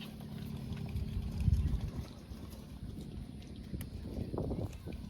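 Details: A cow lows in a deep, steady, humming moo for about two seconds, over constant wind noise on the microphone, with a few faint higher sounds toward the end.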